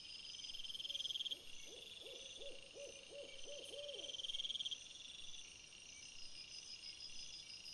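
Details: Red fox caught by a trail camera after sunset on 17 April 2021, giving a run of about eight short, arched, hoarse calls in quick succession, over a steady high hiss of insects or crickets in the night background.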